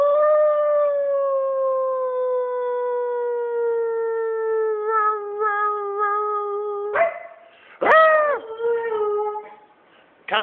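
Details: Twelve-year-old Siberian Husky Tuscany gives a long, steady howl indoors that slowly drops in pitch over about seven seconds, then breaks into a few short, rising yelping howls with brief pauses between them.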